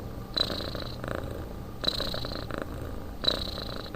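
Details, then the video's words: Sleeping house cat snoring, three breathy snores in a few seconds, each starting with a brief whistle and fading into a soft rasp, in a small quiet room. "Кот спит"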